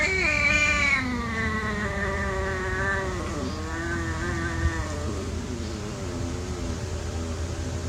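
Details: Playing house cats give a long, sustained caterwaul, starting high and sliding lower, wavering and tremulous for about five seconds before fading, with a low constant hum underneath.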